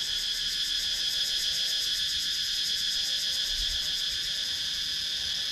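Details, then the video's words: Cicadas in wooded countryside of Sakon Nakhon, Thailand, recorded on a GoPro Hero 9: a steady, dense high buzzing chorus with a fast shimmering pulse, unbroken for the whole stretch. "Cicadas Sound"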